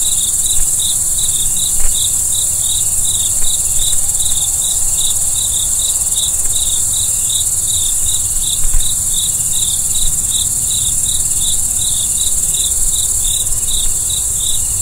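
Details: Crickets at night give rapid, regular pulsed chirps at a high pitch, about three per second, above a constant shrill insect hiss, with a few soft clicks and low-frequency background rumble.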